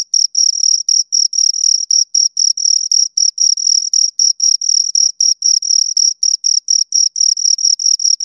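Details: Close-range chirping of two crickets: sharp, high trilled bursts repeated roughly four times a second, evenly spaced, with no background noise.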